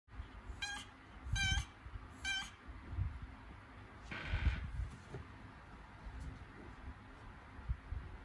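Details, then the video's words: Domestic cat in labour, having contractions before giving birth; three short, harmonic cries, each about a third of a second long, come roughly once a second, then a brief noisy rustle follows over a steady low rumble. "Схватки перед родами у кошки 😱 / A cat is having contractions 😱"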